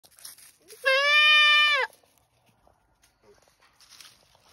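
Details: Goat crying out loud on a farm: one long, strained, nasal bleat lasting about a second, steady and loud with rich harmonics, followed by quieter rustling and faint background noise.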